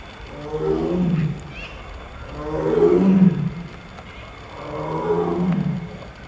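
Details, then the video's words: Tiger roaring at İzmir Doğal Yaşam Parkı, İzmir, Turkey: three deep, drawn-out roars about two seconds apart, each swelling and fading with rich low harmonics, and quiet background between them. "KAPLAN KÜKREMESİ / TIGER ROAR"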